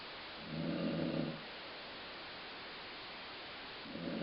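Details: Sleeping dog Colline gives one rasping snore near the start, then a pause before the next snore begins at the end; the sound is compared to a growling stomach.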